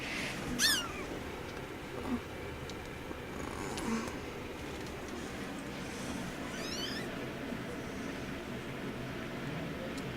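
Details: Young kittens of a litter playing indoors, one trying to bite another; two thin, high, quickly wavering mews, one early and one near the end, over a steady room hiss with a person talking softly.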